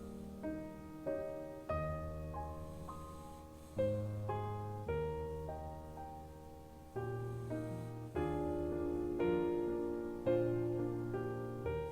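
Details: Gentle piano music plays throughout with soft repeated chords, and no animal sound is heard over it.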